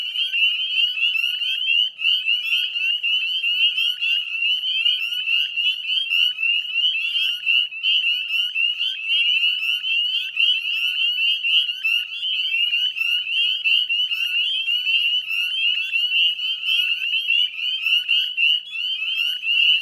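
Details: Many northern spring peepers calling together at 9 p.m. dusk in May 2020 near West Chezzetcook, Nova Scotia; sharp high whistled peeps stack densely, steady and relentless throughout.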